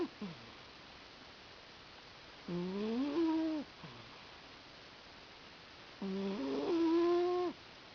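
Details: Sammie, a pet cat, snoring while asleep on a lap: two drawn-out, tonal, slightly nasal snores about three and a half seconds apart, each rising then holding steady, with brief faint breaths between.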